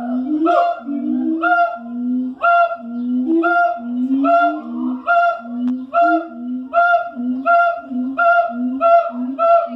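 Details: A siamang at the Columbus Zoo, in the morning, calls in a rhythmic run of deep, honking whoops, each note swelling and dipping, about one per second, with higher, reedy tones ringing above the booming notes.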